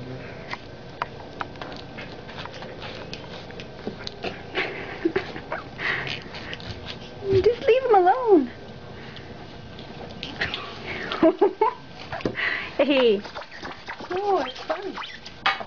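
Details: Five-week-old pug puppies playing indoors in a bedroom let out high, whiny squeaks that rise and fall, clustered in short bursts near the middle and end, over people chatting, sniffing and soft rustling.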